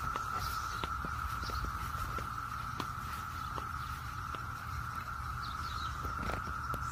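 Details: Brood X periodical cicadas in Maryland fill a June 7, 2021 morning with a steady, droning whine that never lets up.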